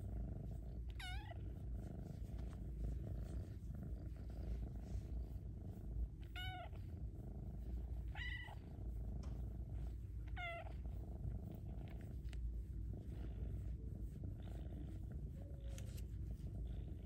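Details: Luna, a female Bengal kitten, loudly purring while being given attention and pets; a steady low rumbling purr runs throughout, broken by four short, bright meows that sweep up and fall away.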